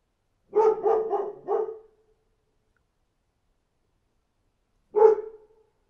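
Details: Dog barking outside: a quick run of four full, harmonic barks, then about three seconds of quiet before one more single bark; no other sounds.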